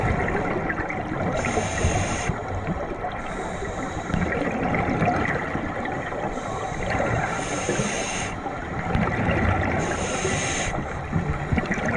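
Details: Underwater, bursts of exhaled diver bubbles recur every few seconds over a constant watery rush, with no whale song.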